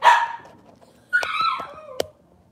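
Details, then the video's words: Robin's Cavalier King Charles Spaniel puppies, filmed indoors on a morning kitchen livestream. A sharp, loud yelp opens, then after a pause a squealing cry falls in pitch, ending with a short clipped yip. "Cavalier Puppy Live Stream: Robin's Puppies"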